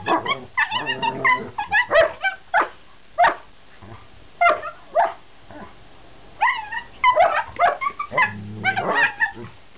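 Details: Two German Shepherd brothers make a noisy run of sharp yips and short barks mixed with high, bending whines, coming in quick clusters with brief pauses between them.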